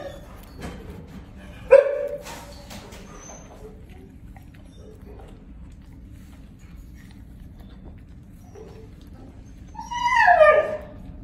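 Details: Five-year-old male mastiff/pit bull mix Noah, tan and white, gives a sharp yelp early on, then near the end a drawn-out, sliding whine rich in overtones. A quiet room, and a person softly praising him afterwards.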